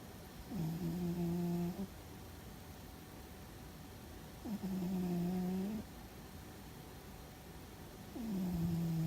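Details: Fuzzy the cat, deep asleep and possibly dreaming, snores in a regular rhythm: smooth, low, humming tones of over a second each, repeating about every four seconds with quiet between.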